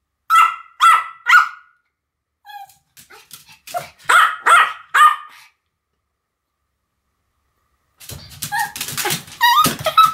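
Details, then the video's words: Pomeranians Sam and Marin barking as a duet: three crisp high barks, soft squeaks and yips, three more barks, a long silence, then a burst of clattering noise with faint barking. "犬の鳴き声 ポメラニアン サム マリン デュエット吠え"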